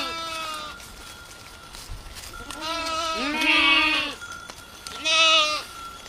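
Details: Village goats outdoors: a faint short bleat opens, then after a pause loud, wavering bleats from at least two animals overlap, followed by one more strong bleat near the end.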